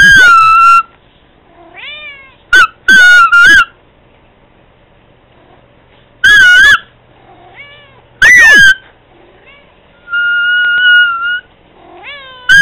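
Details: A household cat meowing to Candy in a run of loud, clipped, wavering meows, some doubled. Thin rising tones and a sustained steady whistled note fill the pauses.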